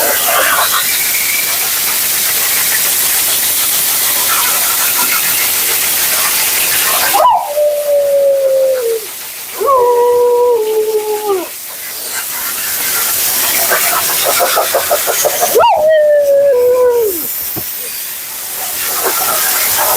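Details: A long hiss of water or dryer gives way to three drawn-out, sagging moans from Mila, a vocal female Siberian Husky, during her bath and blowout, each lasting one to two seconds with noise between.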